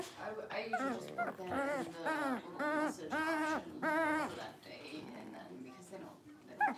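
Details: Playful Blenheim Cavalier King Charles Spaniel puppies from a litter of five in a home puppy pen give a run of drawn-out, wavering whines, five or six in a row, each about half a second, over soft room noise.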